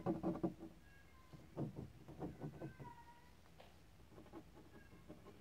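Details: Kittens playing, giving several thin, high-pitched mews, some drawn out and slightly falling, scattered over a few seconds among louder low thumping bursts and rustling from their play.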